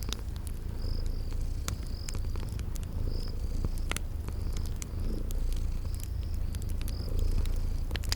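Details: Sleeping cat purring in a low, steady rumble that swells and eases in slow cycles, under sharp crackles of a fireplace and regular high insect chirps of a spring garden.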